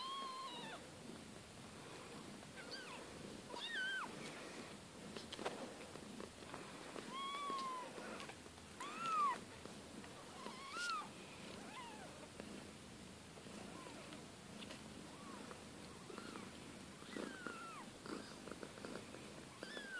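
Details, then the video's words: Siberian kittens from a litter of two mothers, indoors, a chorus of faint high mews and squeaks repeated irregularly over twenty seconds with rustling and shuffling throughout. "Cucciolata di gattini siberiani!"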